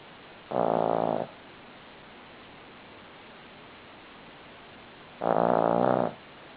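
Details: A Cavalier King Charles Spaniel snores in its sleep, giving loud, buzzy, rasping breaths of under a second each, spaced nearly five seconds apart, with faint background hiss between them.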